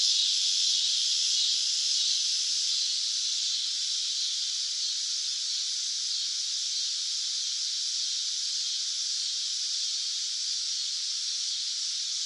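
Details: Cicada in summer producing a continuous high, hissing drone, slightly louder at the start and then level, without distinct beats.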